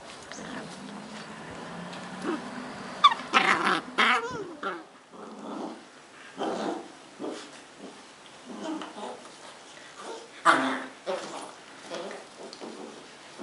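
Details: Two 10-week-old Cardigan Welsh Corgi puppies, brother and sister, in Adelaide, South Australia, trade bursts of small growls, yips and whimpers while play fighting.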